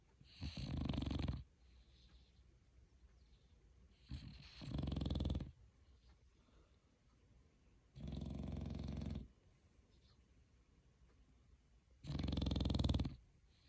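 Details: Sleeping dog snoring steadily, four loud raspy low snores of about a second each, coming roughly every four seconds, with soft quiet breaths in between.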